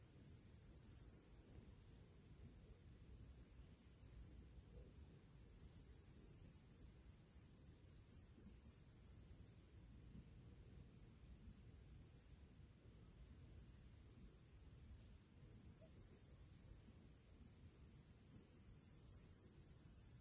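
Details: Summer crickets in nature before evening, producing a thin, continuous high-pitched ringing with faint rapid pulses, somewhat quieter and partly masked by a broad low background hum.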